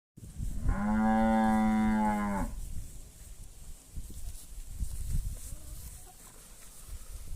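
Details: Ox or bull on a rural Brazilian farm giving one long, loud, harmonic bellow of about two seconds, steady in pitch with rich overtones, then quiet countryside background with faint low rustling.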